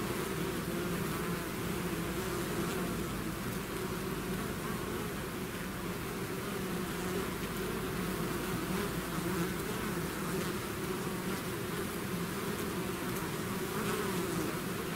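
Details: Bees swarming out of their hive produce a continuous thick hum, many wingbeats merging into one even drone with slight wavering tones, no pauses and no other clear sounds.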